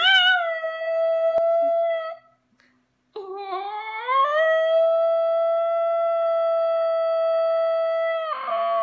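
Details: Basenji Ginger Snap, a female dog, vocalising while playing with her owner: a long, steady, tonal howl with rich harmonics. It breaks off briefly, then resumes with a rising, wavering start before settling into a level sustained note.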